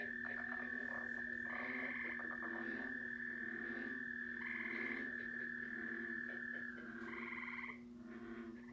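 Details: Recorded chorus of several frog species played back: a sustained high trill runs through, with rapid rasping pulsed calls from other frogs breaking in every second or two, above a constant low hum.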